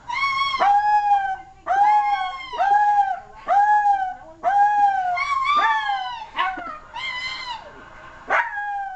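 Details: A silky terrier howls in a steady series of short rising-then-falling wails, about seven in a row with brief breaks, ending with a couple of higher yelping notes.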